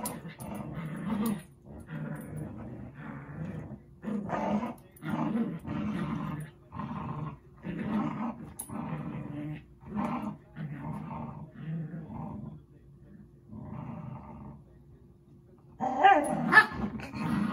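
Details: Zuko and Izzy, two pet dogs, wrestle in play, producing a long run of deep, throaty growls in pulses every second or so, fading near the end before a sharper yelp-like sound and a person's voice.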